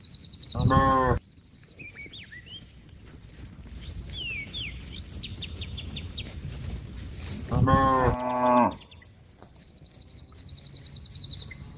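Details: Calling companions to return to their pen, a bovine gives two short, hoarse, strongly harmonic bellows about seven seconds apart, the second doubled, while small birds chirp and trill in the background.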